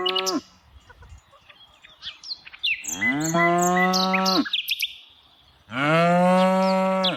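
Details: Tame cows being herded in the afternoon: the tail of one moo, then two long, steady, deep moos with rich harmonics, each lasting over a second, while birds chirp and twitter high above throughout.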